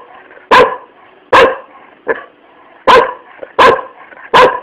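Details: A dog barking, sharp loud barks repeated about every second, six in all with one softer bark between, each with a strong harmonic band; faint background hum and a few spoken words nearby.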